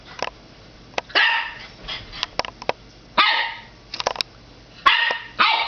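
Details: Nine-week-old puppy indoors yapping at his reflection in fireplace glass: bright, high-pitched single barks separated by short pauses, with faint clicks and taps between them.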